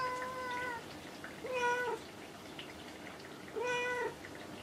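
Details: A house cat perched up high and refusing to come down answers its owner with three level, drawn-out meows, each under a second, spaced about two seconds apart, amid a woman's soft Japanese speech.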